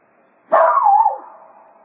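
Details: Cato, a Jack Russell Terrier at Quail Roost, serenades the hounds as a day of foxhunting ends, bidding them farewell: one loud, sudden yowling howl that wavers, then slides downward and fades within about a second.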